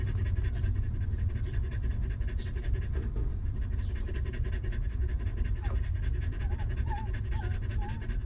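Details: A stray dog mother and her puppies in a rough place, later sheltered and fed; steady rapid panting beneath deep low noise, then a short run of small wavering squeaks near the end.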